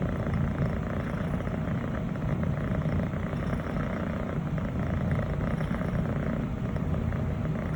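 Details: A female Scottish Fold kitten aged about six months, brown tabby and white longhair, purring contentedly under her owner's hand; a continuous deep, grainy rumble with a rapid even pulse and no other sounds.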